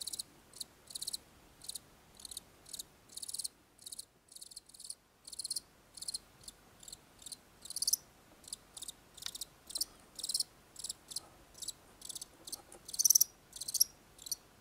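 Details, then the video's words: Chirping of farm-raised house crickets, a small white strain known in Myanmar as golden cricket: steady high trilled chirps repeating about twice a second in a clean, even rhythm, with a brief pause near the start and no other sounds. "Acheta domesticus မြည်သံ"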